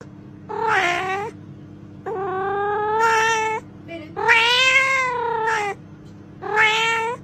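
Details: Domestic cat giving long, drawn-out meows meant to call other cats: four wavering, slightly rising and falling wails, each about a second long, separated by short pauses, over a faint steady hum.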